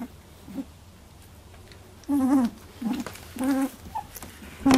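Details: Several Labradoodle pups at 18 days old in their first milk fight give a few quiet, wavering whines and squeaks with pauses between them after a near-silent start.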